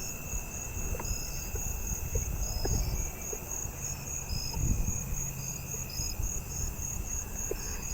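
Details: A Davis's tree cricket in a neighbourhood tree on August 16 sings a steady, thin, high trill among other night insects, with agile meadow katydids and a round-tip conehead calling nearby.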